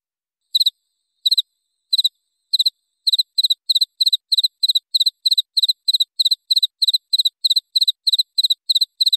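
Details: A cricket chirps in bright, high-pitched bursts, each a quick trill of a few pulses, used as clear songbird training audio with 1–3 minute pauses; the chirps start slowly with long gaps, then settle into a fast, even pattern of about three per second.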